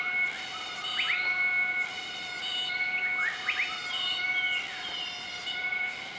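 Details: A group of southern white-cheeked gibbons gives the duetted morning call on 20 March 2014 in Nakai-Nam Theun National Protected Area, central-eastern Laos. Clusters of steep upslurred whistles sound above continuous droning insect tones.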